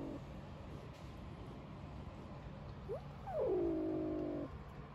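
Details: A 3-week-old kitten, one of a garden litter of five, calling at a person: a brief faint mew at the start, then after a pause a loud falling mew that flattens into a sustained, slightly buzzy tone.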